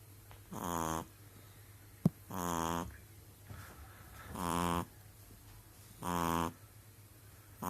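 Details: A pug snores steadily indoors; loud rasping breaths with a strong buzzy harmonic tone come roughly every one and a half seconds, separated by quiet pauses, with a single sharp click.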